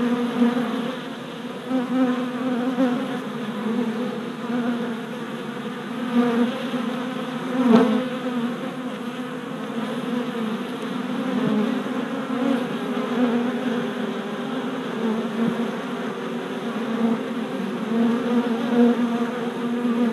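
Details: Worker honey bees on orientation flights at a new deep hive, 27 April 2017, four days after a package was installed; a dense, steady droning hum of many wings with layered harmonic bands, swelling and easing as bees pass close.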